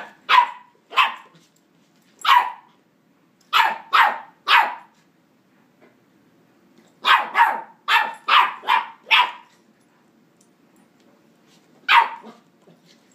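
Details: Nine-week-old Westie puppy captured with an iPhone 4s, barking repeatedly: sharp, high yapping barks in clusters of one to six, about thirteen in all, with short silent gaps between bursts and a quiet background.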